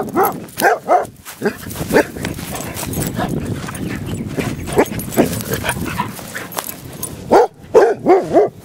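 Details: Basset Hounds in guard-dog training give loud, harmonic baying barks: a quick run of three to four at the start, single barks in the middle, and a final burst of four close together, over a steady noisy background.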